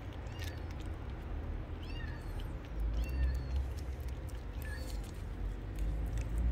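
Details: A young stray kitten crying outdoors: thin, high, short mews, about four in six seconds, each briefly rising then falling, faint over a constant deep rumble of background noise.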